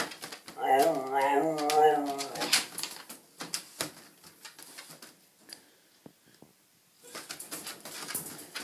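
A Siberian Husky puppy makes a drawn-out, wobbling 'talking' moan that bends up and down in pitch for about two seconds. Afterwards come scattered clicks, taps and small-room rustling.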